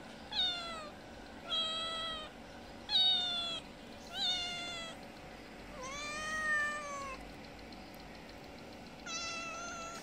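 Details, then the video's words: Mother cat of a little kitten asking for food at a house she visits twice daily; six repeated meows at roughly one-to-two-second intervals, some rising then falling, one longer and lower, over faint background hum. "Kitten mother meowing asking for food."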